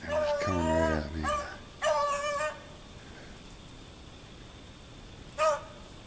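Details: Daisy, a young dog, hunting rabbits in deep snow in a back yard in Maine: a long, drawn-out tonal yelp, two shorter yelps, then a brief final cry over quiet outdoor background, with a man talking nearby.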